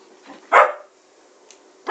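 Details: Female pet Siberian Husky vocalising indoors for attention, trying to stop her owner playing a game: one loud, harsh bark-like burst mid-clip after faint softer sounds, with another burst starting at the end; a man's voice speaks around it.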